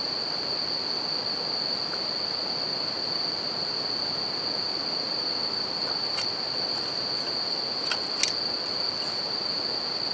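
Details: Bell crickets ring without pause at night next to a campfire and a river; their even, high-pitched tone sits above the hiss of running water while a couple of loud fire pops break in late in the clip.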